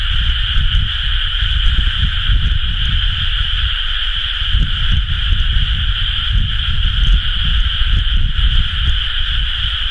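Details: Many frogs chorusing in rice paddies during rice-planting season, recorded 30 May 2011; a dense, unbroken wall of trilling calls holds steady throughout, over a heavy low rumble like wind buffeting.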